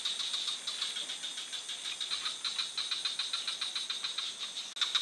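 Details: A frog in a forest gives an unbroken run of rapid rattling pulses, several per second, over a persistent high hum, ending with a brief sharp click.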